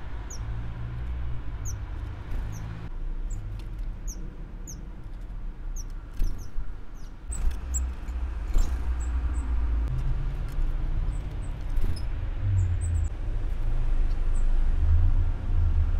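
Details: Thin, high squeaks from a Eurasian red squirrel repeat in quick bursts over a low traffic rumble, in the morning where it has been given a bowl of water.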